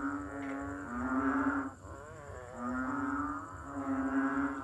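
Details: Banded bullfrog, Kaloula pulchra, also called Asian painted frog: deep, nasal, moo-like droning notes run together in long overlapping bellows, with a brief dip in loudness near the middle.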